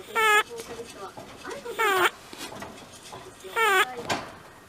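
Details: Squeaky 'pii-pii' snoring from Simba, an elderly 11-year-old pet rabbit, asleep. Three bright, whining nasal squeals sound at roughly even intervals, with faint breathy wheezes between them indoors.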